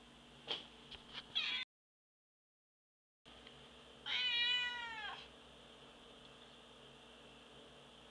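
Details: A domestic cat gives one drawn-out meow with rich stacked harmonics that rises slightly, then bends downward at the end, lasting about a second. A few short clicks come just before it, and a faint steady hum runs underneath.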